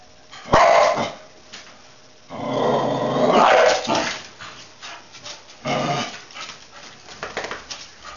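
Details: Nala, a dog, barking: a sharp bark, then a long drawn-out howling bark of over a second, followed by another bark and softer trailing whines, indoors.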